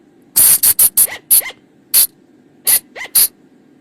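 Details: Shrill, clipped cries of a flying lemur, known locally as bang or phung chong, used as a night-time lure: eight hard bursts, several trailing into a brief rising-falling squeal.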